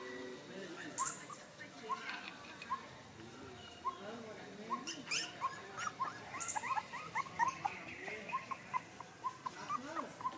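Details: Five puppies, one of them white, give a string of short, high, arched squeaks, each about a second apart, with faint rustling and clicking underneath.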